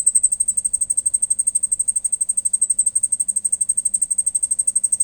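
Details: Cricket heard at night giving an even, shrill, high-pitched pulsed chirp, about three pulses a second, steady throughout against a quiet background.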